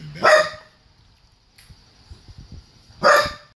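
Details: Pet Miniature Pinscher barking protectively while neighbours receive a package delivery: two sharp, loud barks about three seconds apart, separated by quiet, with a steady high electronic whine in the background.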